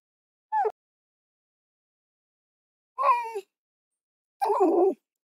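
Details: Fox calls: a brief high whining note followed about two seconds later by a downward-bending harmonic cry and a harsher, noisier call, with silence between them.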